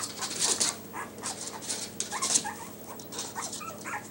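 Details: Yorkshire Terrier puppies wearing new numbered Velcro collars, one nicknamed trouble maker, indoors; rapid high squeaky whimpers and yips overlapping, with rustling and scrabbling noises.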